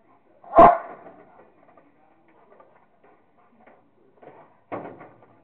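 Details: Playing with a squirrel, a Rottweiler lets out one sharp loud bark, then faint snuffling and a second shorter, softer woof near the end.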